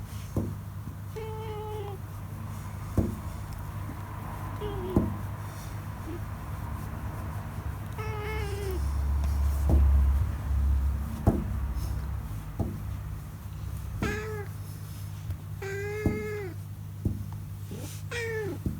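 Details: Pet cat meowing happily while being stroked by hand and sunbathing, raising its rear; short bright meows, some rising then falling, come every few seconds over a steady low hum.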